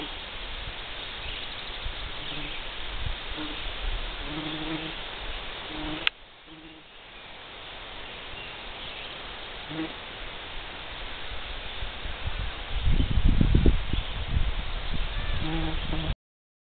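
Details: A bee on a clover, buzzing steadily with a low, droning hum. There is a brief sharp click midway and some louder rumbling toward the end.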